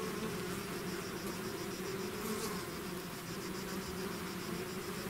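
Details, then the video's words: Swarm of bees leaving the hive: thick, unbroken buzzing drone with bright hum bands and a soft repeating high ticking overhead. "bees therapy swarm natural buzzing sound"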